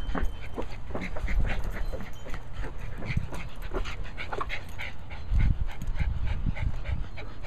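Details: Abby, a Cairn Terrier, plays with her ball, panting in quick breathy bursts about three to four times a second, with low rumbling handling noise and occasional thumps underneath.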